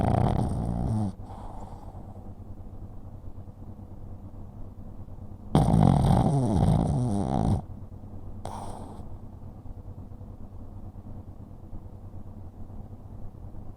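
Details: Small pug sleeping, recorded 4 January 2023, giving three loud snores: a short rasping one at the start, a long rough two-second rumble mid-way, and a brief final snort, with steady low breathing noise between.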